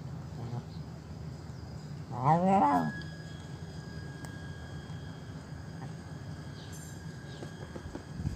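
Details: Old, hungry feral stray cat begging for food at a doorstep: one loud drawn-out meow with stacked harmonics rising then falling, lasting under a second, over a steady low hum.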